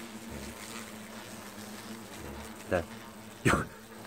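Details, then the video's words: Hornets at their nest during its removal, a remarkably loud swarm: a steady low droning buzz runs throughout, broken by two sharp knocks near the end. "말벌집 제거"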